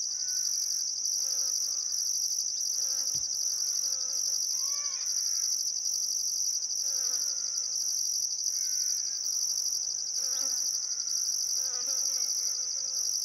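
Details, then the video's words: Crickets chirping on a still summer sunset by the Barcoo River, Welford National Park, Outback Queensland, Australia: a dense, unbroken high shrill trill with a pulsing higher band, under repeated lower warbling bird calls. "Australian Sunset Chirping Crickets"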